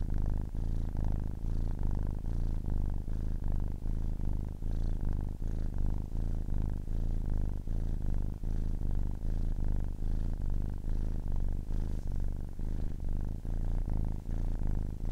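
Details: Low, constant rumbling purr from a kitten ten weeks old, droning without pause and pulsing faintly, nothing else audible around it.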